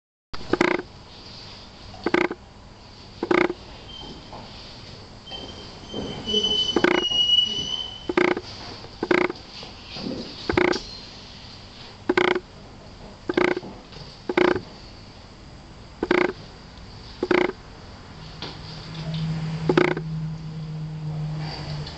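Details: Red and black Tosa Inu, the female Ajsinka with her six-week-old puppy Quinny Bella at Diamant severu kennel; short sharp barks repeat about once per second, with a faint high tone briefly midway and a low hum near the end.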